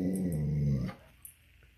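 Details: Tonka, a pet Alaskan Malamute telling his owner what he wants, gives a low steady grumbling moan under a second long that fades out, followed by quiet room sound.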